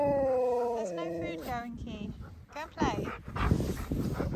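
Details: Siberian Husky arguing with a person, especially over food: a drawn-out, wavering, tonal woo that slides downward in steps over about a second and a half, followed by rougher broken sounds mixed with human voices.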